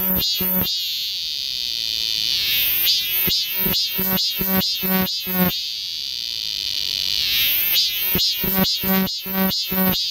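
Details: Close cicada singing amid a summer chorus in Galsan Park's forest, Seoul: long sustained shrill buzzing notes broken into runs of loud, harmonically rich pulses, the pattern repeating twice, with a continuous high hiss behind.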